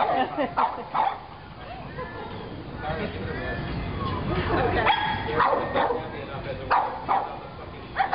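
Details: A pug scared of a pig piñata barks in uneven bursts of sharp yips, some doubled, with a few whimpery tones between, amid continuous voices and room noise.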